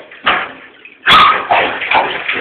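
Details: Shifty, a female Jack Russell Terrier, at bathtime in the bath: short sharp barks and yips, one loud bark near the middle followed by quicker yapping, with splashing water in the background.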